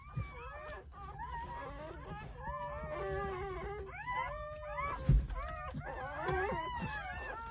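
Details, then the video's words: Tiny Jindo pups just born on New Year's Day, one of nine in a rural-house litter, whimper in layered, bending high cries, many voices overlapping, with a sharp knock and faint low noises in the background. "시골집 진돗개 9마리 출산했어요 새해 첫 우렁찬 울음소리와 함께 새생명이 탄생"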